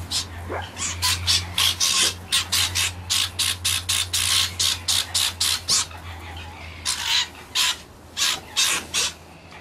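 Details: Fox heard in the mating season, when foxes call out to each other: a rapid series of harsh, rasping bursts, about two to three per second, with brief pauses and a low steady hum underneath.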